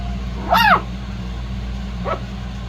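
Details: A shih-poo puppy from Xena's litter lets out one loud, sharp, rising-then-falling yelp, followed about one and a half seconds later by a much softer short squeak, against a low background hum.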